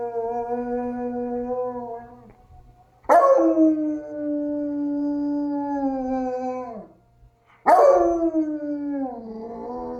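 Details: Tired male dog howling at an ACA P-50 tornado siren played from another room: long, harmonically rich howls that hold steady, then slide downward at their ends, with a short silence between each and a new sharp onset.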